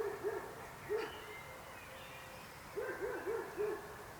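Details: Frog calls as short, soft, low hollow notes given singly and in quick runs of three or four, with a faint background hiss.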